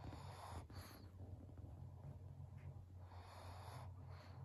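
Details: Senior fawn pug Maria, a 12-year-old female in Japan filmed 12 November 2022, snorts and wheezes in rough breathy bursts, one early and another after three seconds, against a low droning hum.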